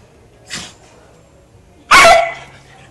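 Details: Pet dogs, a beagle and a puggle, playing together in the afternoon; a faint short yip, then one loud, sharp bark about a second and a half later in a quiet room.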